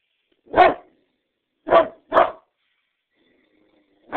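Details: A Great Dane gives deep, booming barks, single and then a quick double, with silent gaps between, before yawning at the end.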